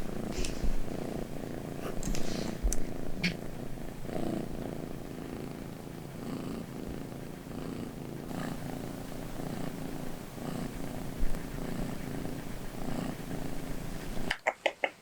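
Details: Miru, a small British Shorthair cat, snores in her sleep at home: a continuous low rumbling, evenly pulsed breathing sound, with light clicks and rustles, ending in a few sharp handling noises.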